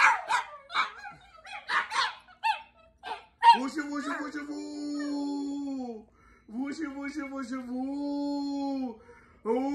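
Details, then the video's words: Chihuahuas yapping at first, then a long steady howl held for about two seconds, breaking off and returning in another sustained tone, with a person's voice heard early on. "My Ants Chihuahua dogs barking and hauling"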